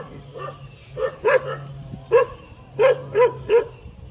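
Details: Dog barking while wagging its tail: short sharp barks in irregular clusters, around seven across four seconds, some doubled, over a steady low hum.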